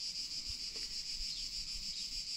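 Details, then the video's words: Cicadas singing on an early summer day in Provence, in the Alpes-de-Haute-Provence mountains, heard more and more; a steady, continuous high shrill buzz with faint low thumps and light wind. "Je viens de sortir et je me rends compte que les cigales, on les entend de plus en plus."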